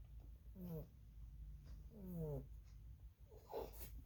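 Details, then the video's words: Pet rabbit snoring while asleep: soft, rhythmic nasal whistles that slide downward in pitch, repeating roughly every one and a half seconds over a low steady hum in a quiet room. "Rabbit snoring"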